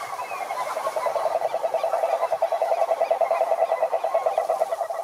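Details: Cururu toads, Rhinella marina, calling at a lake in Brazil's Atlantic Forest: a steady, rapidly pulsing low trill that holds without pause through the whole stretch, with faint higher overtones and little other sound.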